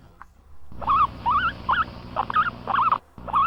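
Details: Guinea pig. A guinea pig gives a string of short whimpering squeaks, each wobbling up and down in pitch, then one more after a brief pause. This whining is a complaint, telling that something disturbs the animal and it wants to be left alone.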